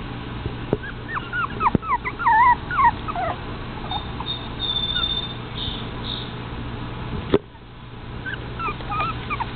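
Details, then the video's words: Toy Fox Terrier puppies at play with a ball: a burst of squeaky, wavering whimpers and yips early on, then quieter, with a couple of sharp knocks and a brief high whine before more yips resume near the end. "Toy fox terrier babies with ball"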